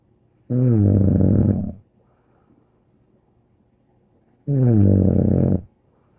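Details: Two deep, rasping snores from the dog Bear, each lasting over a second and spaced about four seconds apart, with soft breathing between them.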